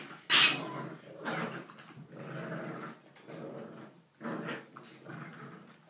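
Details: English bulldog puppies playing make gruff, throaty growls and snuffling grunts in uneven bursts, with one sharp yelp near the start; close and slightly roomy, as if indoors.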